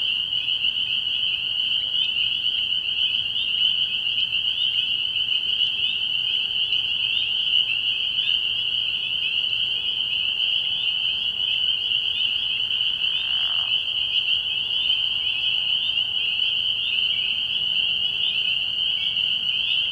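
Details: Many spring peepers calling together at night at a frog pond in early spring, their high shrill peeps blending into an unbroken ringing drone that holds steady throughout, with one short sweeping lower sound midway.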